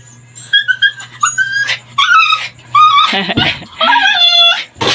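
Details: Labrador Retriever crying while straining at its leash, seemingly angry and wanting to break free. High, whistled whimpers come in short bursts, some sliding and wavering, with a few louder strained yelps near the end and soft background music.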